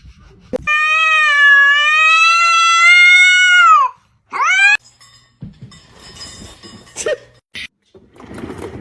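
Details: Drawn-out domestic cat meow held steady for about three seconds, rich and tonal with a slight waver, ending in a drop, followed by a short rising mew and faint household sounds.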